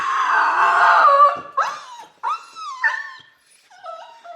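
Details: Dog in a kennel howling: one long, steady, harmonic howl that tapers off, followed by three short, bent yowls that dip and break, each a bit quieter than the last.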